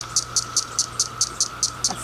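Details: A single female cicada flicks her wings to make sharp, dry clicks about five times a second to attract males, recorded 10 June 2021, with the roar of male cicadas in the background.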